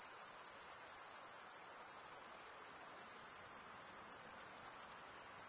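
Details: A chorus of crickets makes a steady, rapid, high-pitched chirping drone by rubbing their wings together. The sound has a faint rhythmic pulse and keeps an even loudness throughout.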